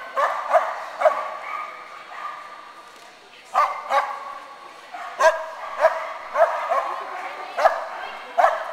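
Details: Clumber Spaniels at an agility event in Concord, November 2009: a string of sharp, loud barks, isolated early then coming in quick bursts every half second or so in the second half, over steady background talking from people nearby.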